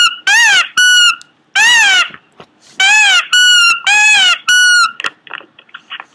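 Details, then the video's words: Pomeranian making weird noises indoors: high squeaky whining yelps in bursts, each a bright harmonic wail bending up then down, alternating with flat steady whistled whines, then a few soft clicks and snuffles at the end. "cute pomeranian making weird noises"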